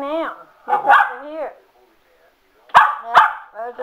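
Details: Sugar, a pet Cocker Spaniel, excited by a spin mop: high harmonic whines sliding up and down, then two sharp barks with short yelps at the end, alongside a person talking.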